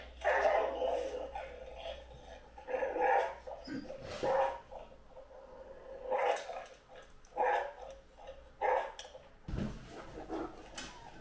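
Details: Anúbis the Great Dane gives deep, loud barks and howling yelps in irregular bursts about a second apart, ending with a sharp impact noise.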